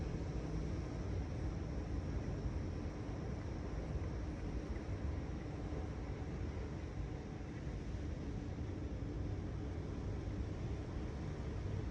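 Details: A continuous low-pitched mechanical drone, probably a vehicle or aircraft engine, runs throughout. No bird, insect or other animal sounds can be picked out above it.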